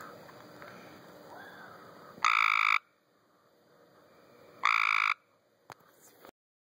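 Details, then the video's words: Tree frogs in a home pool: two strong nasal buzzing croaks about half a second long, some two and a half seconds apart, then a few faint clicks. "Tree frogs in my pool"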